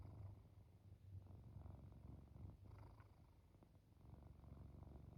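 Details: Kitty purring while falling asleep, a low, rapid, vibrating rumble that rises and falls with slow breaths, soft and steady throughout with a quieter dip midway.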